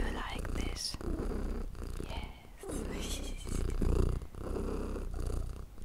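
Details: Pet cat purring contentedly during a calming session, a deep rhythmic rumble beneath frequent gentle whispering and rustles.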